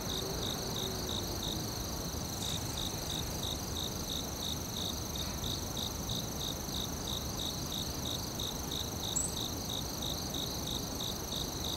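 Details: Forest crickets keep up rapid, evenly pulsed chirps around three per second over a continuous high ringing tone, while low broadband noise fills the background.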